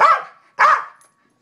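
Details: Two loud, rough barks about half a second apart from a male corgi kept as a pet, responding to questions put to him indoors.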